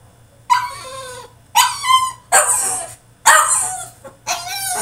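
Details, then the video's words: French Bulldog in his cage during a tantrum, loud harsh yelping barks and squeals, about five rough bursts each near a second long, closely spaced. "FRENCH BULLDOG THROWS TANTRUM IN HIS CAGE!!"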